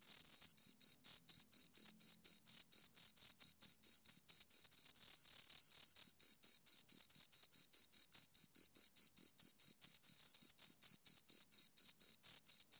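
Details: Close-up chirping of two crickets, a continuous run of sharp high chirps about two per second, some bursts merging into longer trills, over a perfectly quiet background.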